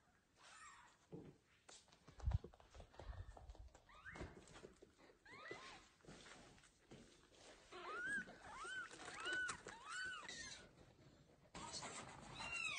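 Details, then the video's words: Kittens meowing loudly while their mother cat carries them to a new place; several high arched mews in a row near the middle and end, with thumps and handling noise throughout. "Mother cat carries loudly meowing kittens to a new place"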